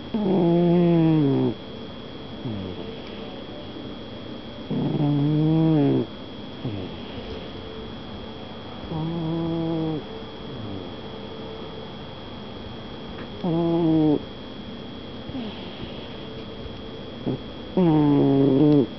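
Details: Domestic cat snoring: buzzy, harmonic snores about one and a half seconds long, returning roughly every four to five seconds, with softer breaths between them in a quiet room.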